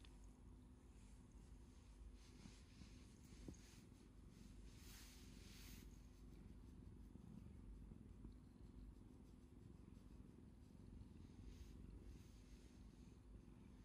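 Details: Cat nuzzling against a hand and reaching out with its paws as it asks for attention, giving a constant deep purr; low rumbling fills the whole stretch with soft rustling above.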